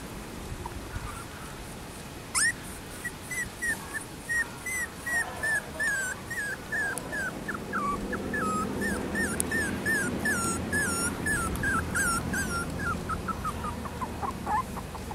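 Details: Young female Schnauzer born on 13 April, giving a long series of high, squeaky whimpers and yips, each short and rising or falling, several per second with uneven spacing, over a low indoor background rumble.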